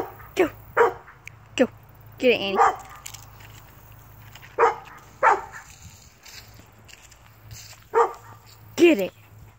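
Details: Dachshund barking while hunting a squirrel: short, sharp barks spaced about one second apart, with one longer, wavering yelping burst near the middle, repeated in loose clusters.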